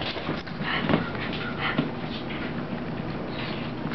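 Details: Rosie, a puppy, at play with mommy: breathy, irregular puffs of panting mixed with a few short whimpery sounds, over a steady low indoor hum.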